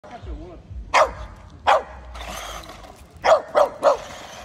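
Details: Jack Russell Terrier chasing a remote-control car gives short, sharp, high barks, two spaced apart and then three in quick succession, with a person's voice at the start and steady background noise between barks.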